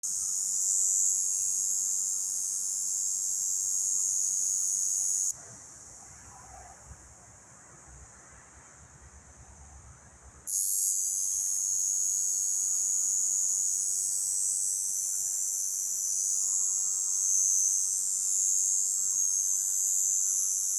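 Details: A cicada in Romania, recorded up close, drones in a loud, steady, high-pitched buzz that stops briefly and then starts again.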